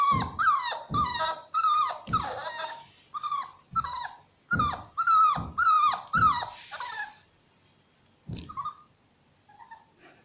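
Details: Shar Pei cross puppy in need of adoption yelps repeatedly. About ten high, whiny barks fall in pitch and come roughly twice a second for seven seconds, then fade to a few faint squeaks and a single sharp bark.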